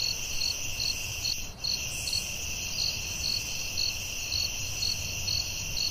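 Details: Crickets chirping through the night in woodland: repeated sharp high pulses about twice a second, backed by a steady buzzing drone, with one brief soft thump near the start.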